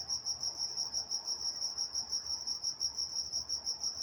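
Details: High, pure cricket trilling on a California night in Walnut, evenly pulsed several times a second with a faint shimmering overtone and nothing else prominent.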